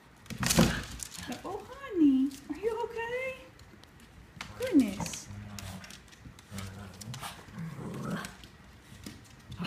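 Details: Cavalier King Charles Spaniel puppies, seven weeks old, playing and pestering their mother: sharp yelps and rising-then-falling whiny squeals, separated by soft low growls, with a person talking in the background.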